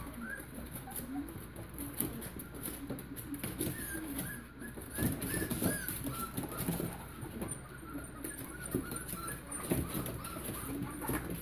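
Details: Young Chihuahua-Pitbull cross puppies at five and a half weeks, a steady patter of brief piping whines and squeaks from several pups, with soft shuffling and constant hiss behind.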